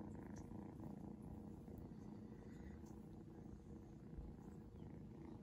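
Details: A seal point Ragdoll kitten being patted purrs steadily, a low continuous rumbling vibration; Ragdoll cat.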